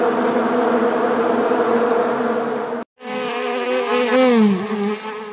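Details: Honey bees buzzing in a dense, steady hum; after a brief cut, a closer droning tone slides down and back up in pitch over the continuing swarm noise.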